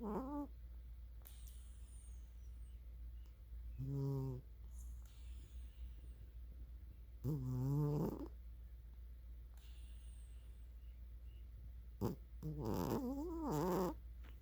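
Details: Sleeping female house cat snoring loudly indoors; drawn-out, buzzy, harmonic snores come roughly every three to four seconds, some rising and falling in pitch, over a steady low hum.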